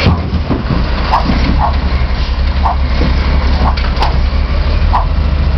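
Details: Lola, a Chihuahua mix, challenges the trash truck, as she does every week. Short, sharp barks repeat roughly every half second to a second over the loud, low rumble of the idling truck engine.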